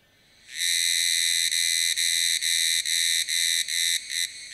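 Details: Group of Tanna cicadas chorusing at 1000 m altitude in Taitung, Taiwan, recorded with a Sony A7s3 camera and shotgun mic. A high, continuous metallic buzz sets in suddenly, then breaks into shorter pulses with small gaps toward the end.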